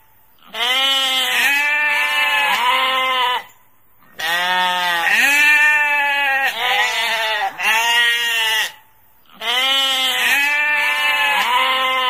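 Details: Sheep bleating repeatedly in harsh, vibrating bursts, each group of two to four bleats followed by a short quiet pause, over about twelve seconds.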